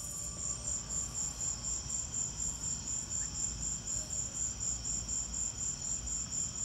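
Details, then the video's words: Shrill, rapidly pulsing chirps from crickets during a lightning storm, a regular beat of roughly four pulses a second over a soft, steady low rumble. "Lightning and crickets!"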